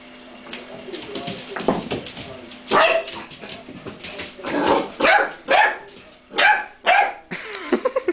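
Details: Monty, a pet dog indoors in a small room, outdone by a cream pot, barks in a string of loud, sharp harmonic yaps, clustered in the second half with short gaps, over faint background speech.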